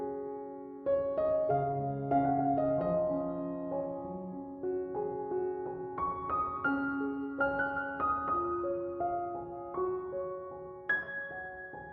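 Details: Only gentle piano music plays, with sustained melodic notes and no animal voices.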